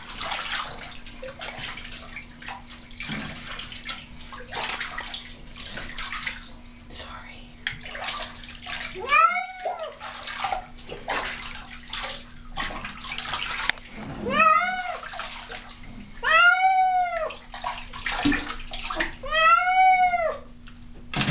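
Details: A pet cat named Baby protests while being bathed. About a dozen seconds of splashing and a person talking give way to four loud, arched, complaining meows in the second half.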